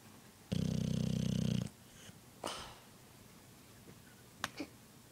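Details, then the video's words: A sleeping male Boxer dog snores indoors: one long, rough, rattling inhalation of about a second, followed by a softer breathy exhale and a few faint clicks and rustles. "Snoring dog"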